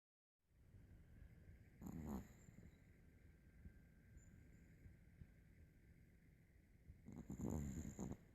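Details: A dog named Jaimie snoring while fast asleep in a comfortable position, refusing to wake; two loud rasping breath bursts near the start and end with soft low breathing between.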